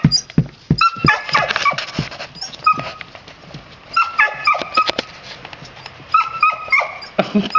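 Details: Red Standard Poodle puppies playing outdoors with their father, giving high, harmonic yips and whines in quick bursts, with scuffling thumps between calls.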